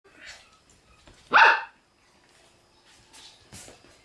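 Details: Shiba Inu puppy, a new arrival on 6 November, lets out a single sharp, loud yelping bark amid quiet rustling and soft handling sounds.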